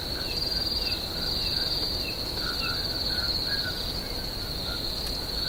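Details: Crickets trilling at night in a swamp, a steady high, rapidly pulsed whine, with soft, short, lower chirps recurring several times a second underneath.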